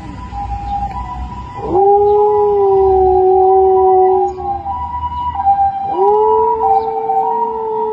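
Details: A Samoyed, learning to imitate a wolf's call, gives long, smooth howls that hold a steady pitch and swoop up at the start.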